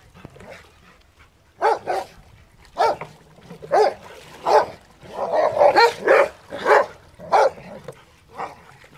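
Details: Rottweilers playing in water; one barks repeatedly with deep, hoarse, chesty woofs, single and doubled, roughly once a second, with a busier run of barking in the middle stretch.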